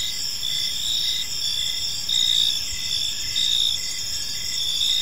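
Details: Crickets chirp in a park as evening falls: bright, high trills swell in pulses about once per second, louder bursts near the middle, several callers overlapping above a quiet low background.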